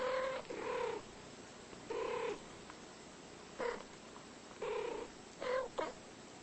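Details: Two pet cats talking back and forth in drawn-out, nasal meows. About five calls come in uneven bursts, each lasting roughly half a second, with the last ones shorter and sharper, over a faint background hiss.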